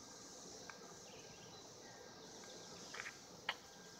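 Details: Mating cicadas in 2016, heard as a continuous high-pitched hum holding level from start to finish, with faint soft clicks and a brief sharp tick breaking through late on.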